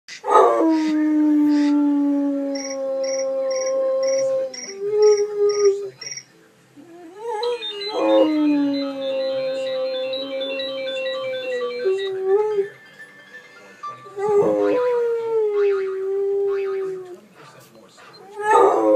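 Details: Sarge, a pet dog, howling at iPhone ringtones: long sustained howls with gently falling tones, broken into several drawn-out phrases, while the chiming ringtone melody plays in bursts alongside.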